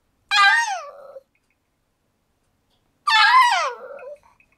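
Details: Old pug, 15 years 7 months, whining at home to go outdoors on a rainy 28 April 2013; two drawn-out, strained cries that start high and slide downward, about three seconds apart, with silence in between.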